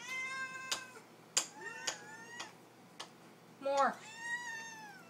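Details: House cats singing for their supper: several drawn-out harmonic meows, one rising then falling, with sharp clicks and knocks between them and a woman coaxing them to talk.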